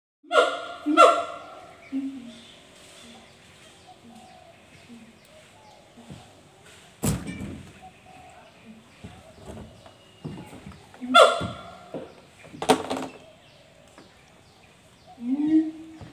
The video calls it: suara merdu siamang pulau..🐒🐒🐒